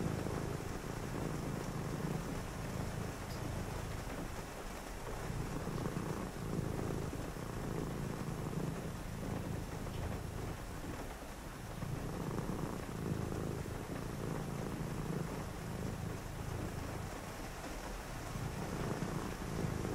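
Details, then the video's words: Purring domestic cat indoors on a rainy night beside someone reading: a low, throbbing rumble that swells and dips in breathing cycles every few seconds, with steady rain hiss throughout. "cozy read with me (& a purring cat) on a rainy night"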